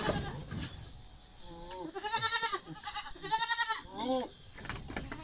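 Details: Domestic goats being dewormed ahead of weaning, at about three to four months old, in the Philippines; several wavering, harmonic bleats come in quick succession, a brief nasal cry, then a longer quavering one and a short falling call, with handling noise between.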